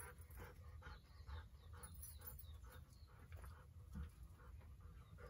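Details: Golden Retriever filmed by a camera accidentally left running, panting steadily: short breathy huffs, roughly two to three per second, evenly paced throughout, with a low hum underneath.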